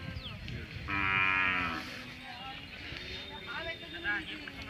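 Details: Hallikar cattle at the Magadi cattle fair 2025 in Ramanagara district: a loud harmonic moo of about one second, followed by people talking and background fair noise.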